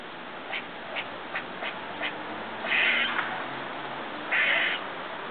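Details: Strange-sounding squirrel eating next door, outside a window: soft, quick ticks roughly every third of a second, then two longer, louder, grating nasal calls, over a hissy background.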